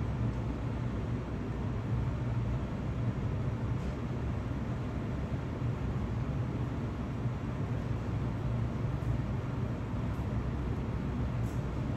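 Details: A steady low rumble of wind or engine noise fills the recording, with no animal voice anywhere.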